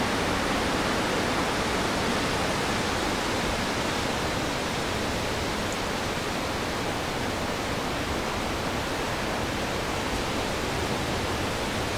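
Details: A constant roar of falling or rushing water fills the whole recording. No calls, songs or other animal sounds stand out above it.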